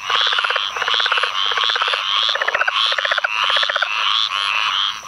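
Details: Southern leopard frogs give rapid, guttural clucking and chuckling calls in a steady chorus, with squirrel treefrogs and pine woods treefrogs also calling, in a field flooded by Tropical Storm Ana rains, Onslow County, North Carolina, 11 May 2015.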